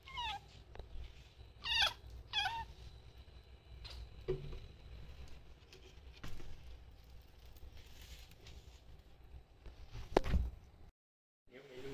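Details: Gyoza, a kitten, meows while intently watching a cat teaser wand: two clear, high, bending meows close together early on, then scattered soft knocks and rustles. A low room hum runs throughout.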